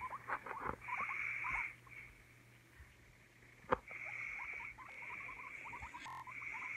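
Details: Guinea pig squeaks: many tiny rising chirps in rapid uneven runs, with repeated stretches of steady hiss and one sharp knock partway through.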